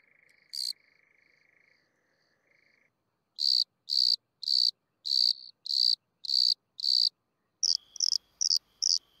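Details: Bordeaux cricket, Eumodicogryllus bordigalensis, at San Vito al Torre, Italy, on 8 June 2023. A steady lower whistle-like tone fades out, then high, dry chirps start, about two per second, becoming quicker and shorter toward the end.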